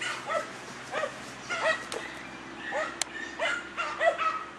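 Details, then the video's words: German Hunting Terrier named Dunja facing a wild boar; sharp yelping barks in quick bursts roughly every half second, against a low steady background hum. "DEUTSCHER JAGDTERRIER DUNJA VS WILD BOAR-DUNJA NA VEPRA"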